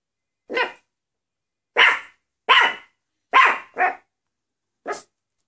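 A Maltese dog gives six sharp, high-pitched barks at uneven intervals.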